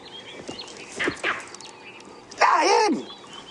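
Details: Monkeys alarm calling at a lion on a morning safari drive at sunrise; a few sharp barking calls, then a loud harsh call with wavering, falling tones near the end, over a quiet bush background.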